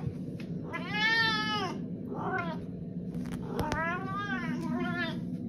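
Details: Domestic cat meowing, four drawn-out arching meows, the first and third longest, over a low steady background hum with a sharp click near the middle.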